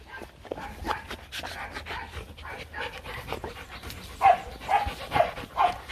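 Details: Two young Rottweilers, Nina and Nano, kept as breeding dogs at the Rottweiler Gervi kennel, playing. Fast rough breathy puffs come in an uneven rhythm, and short whining tones surface near the end.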